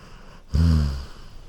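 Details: Sleeping Golden Retriever on a couch gives one short, deep snore, a low rattling rumble of about half a second that fades out gently, with quiet room tone around it.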